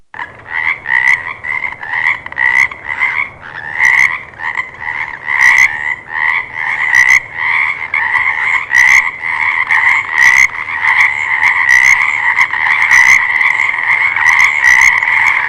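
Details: Frogs calling in a chorus: rapid, pulsed croaks repeated in quick bursts, overlapping into a steady two-toned churring, with loudness swelling and fading through the passage.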